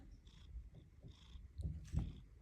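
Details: Orange domestic cat purring: a low, pulsing rumble that grows stronger in the final second, with faint soft clicks and rustles in a small indoor room.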